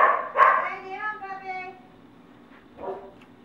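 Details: Australian multigenerational Labradoodle puppies at 4.5 weeks old, playing indoors: a high tonal whine slides upward and wavers for about a second after a short yip, then a faint second whimper follows; quiet room background.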